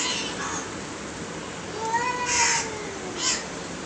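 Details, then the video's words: From two aggressive cats, a single stretched meow climbing gently then tailing off near the two-second mark, amid constant hiss and short noisy bursts. "Two nice looking aggresive cat meowing"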